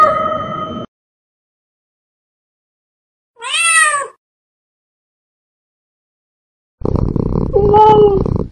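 A cat gives a drawn-out, arching meow, then a harsher, rough-edged yowl after a pause.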